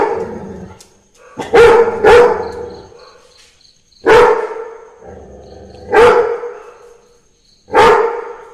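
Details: A Labrador Retriever barks to the sound of Christmas carols, giving a quick double bark and then single deep barks about every two seconds over soft, high, chiming festive music.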